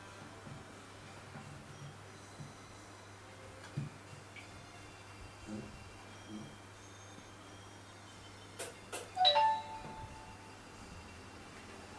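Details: A quiet indoor room with a steady low hum, a few soft knocks, and a bright ding-dong chime near the end, but no animal voice.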